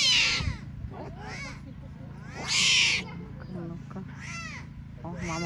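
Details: Tiger cubs abandoned by their mother at a lion park in Belogorsk, Crimea, giving two loud, high, arching mewing cries about two seconds apart, with a person talking and softer cries in between.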